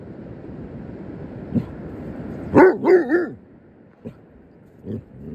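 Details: A Basset Hound confronting a crab gives three quick, wavering, throaty barks that run together into a short bay.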